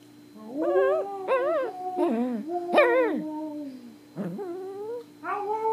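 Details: Pomeranian singing in India: a string of rising, quavering howl notes with yelping upward breaks, each about half a second to a second long, loud and close, with a faint steady hum behind.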